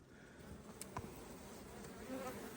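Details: Western honey bees give a steady, broad, low hum from a crowded hive full of fresh wax during a strong nectar flow, with ivy nectar coming in as the colony prepares for winter, and a man talking.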